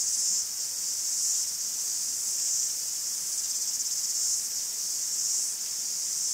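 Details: A chorus of cicadas in a Greek forest gives an unbroken high-pitched whirring buzz with rhythmic swells about once a second, and no other clear sounds.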